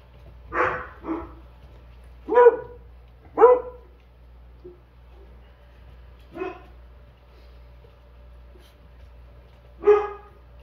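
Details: A puppy startles and then recovers, giving several short, sharp barks and yips spaced irregularly a second or more apart, with quiet gaps between them and a steady low hum underneath.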